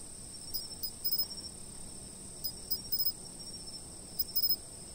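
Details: Insects heard from a fixed camera position: an unbroken shrill high hum, with small, irregular bursts of quick chirps rising above it now and then.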